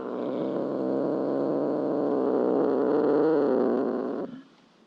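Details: Domestic cat purring steadily, a rough, low, rhythmic rumble of about four pulses per second that lasts around four seconds and then stops.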